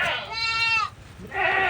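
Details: Goats herded out to graze on land beside a farmed plot, with small young goats following their mother; a clear, wavering, harmonic bleat lasts about half a second, then a second, rougher bleat follows.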